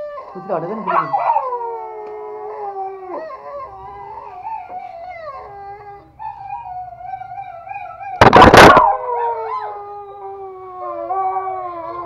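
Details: Toy Pomeranian pet dogs in Kathmandu, Nepal, howling along with music: long, wavering, overlapping howls that slide up and down, carried over a low steady hum, with one loud, sharp burst near the end.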